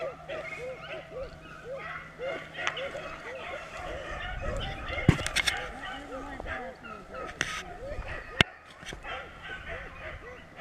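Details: Beagle pack trailing in Vera, Virginia: many short arched yelps repeated rapidly and overlapping from several dogs, with sharp clicks and rustling nearby and a low steady hum early on.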